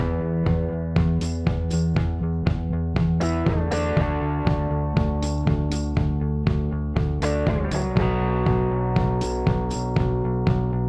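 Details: Only music is heard, a steady beat of drums with guitar and bass and no animal voices.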